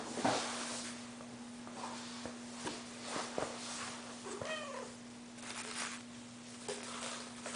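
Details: Hairless Sphynx kittens from a cattery litter, indoors; a short, thin meow that rises and then falls appears midway, with faint rustling and handling noises and a steady low electrical hum throughout.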